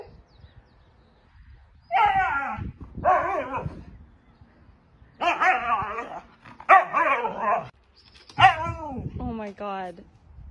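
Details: Husky vocalizing in a series of warbling, talk-like howls, some wavering up and down, others bending sharply, separated by short pauses, in a quiet indoor setting.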